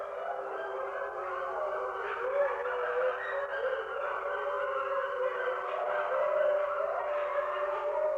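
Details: Wolves in a group chorus: many sustained, gliding howls layered over one another, steady in volume with a few brief rising notes and a slight swell toward the end.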